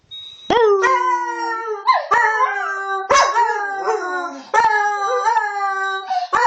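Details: Close, loud dog howls: sustained tones that waver and dip after abrupt rising onsets, several drawn-out cries over a few seconds in an otherwise quiet setting.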